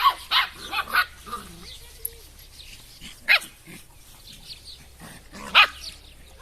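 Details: Drahthaar puppies, shown one after another: a few short sharp yelps and whines scattered across the stretch with quiet gaps, alongside a man talking.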